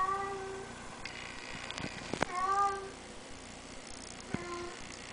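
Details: Bengal cat giving three soft, short meows, each a steady tone with a slight bend, spaced about two seconds apart, over low room hiss with a few faint clicks.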